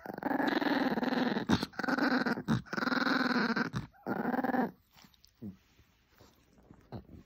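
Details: Chihuahua growling in long, sustained, rumbling bursts with rich harmonics, about four drawn-out growls over five seconds with short breaks, then fading to quiet scattered sounds; laughter just before.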